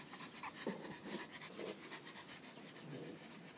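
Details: French bulldog panting, with rapid, uneven breaths over a noisy background and a few short faint squeaky sounds.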